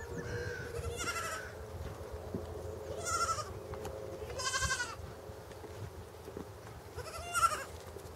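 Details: Young pygmy goat kid, born late December to January, at Walter Zoo, Switzerland, on 26 February 2015, walking about, crying and looking around, perhaps for its mother: four short, quavering, nasal bleats spaced irregularly over a quiet background.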